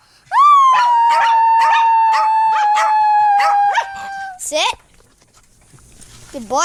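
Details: Dog howling played to set off other dogs' howls: one long steady howl held near one pitch for about four seconds, with pulsed barking-like sounds over it, then short rising yelps near the end.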